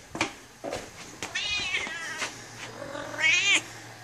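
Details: Female Siamese cat demanding affection from her returning owner indoors: several short meows and a longer wavering cry near the end, mixed with footsteps and handling noises.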